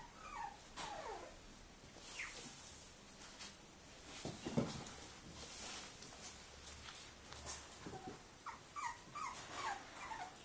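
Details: A Cavalier King Charles Spaniel gives thin, high, wavering whimpers that rise and fall in short bursts, spread through the stretch, with soft rustling and thumps in between.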